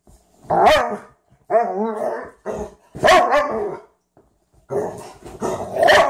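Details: Two dogs, a Frenchton and a Rhodesian ridgeback, playing for the first time. Rough, harsh bark-like bursts alternate with wavering growls, about five vocal bursts in six seconds.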